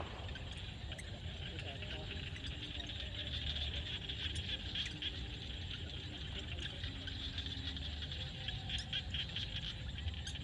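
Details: Field frogs at sunset in Cambodia: a steady wall of crackling, buzzing calls with occasional sharper clicks, over a persistent low background rumble.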